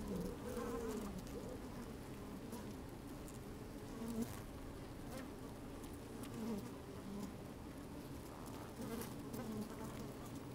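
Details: Inside an opened beehive on a sunny day, honey bees move about and occasionally buzz close to a microphone slid into the hive; a continuous low hum with short bright buzz notes and scratchy rustling.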